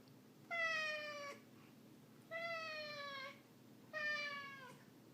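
A Ragdoll cat gives three drawn-out, slightly falling meows, each lasting nearly a second.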